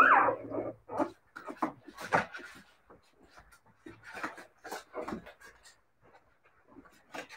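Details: Several Siberian Husky puppies let out clipped, squeaky yips and whimpers, starting with a sharp rising squeal, then uneven bursts of short calls fading toward quieter pauses.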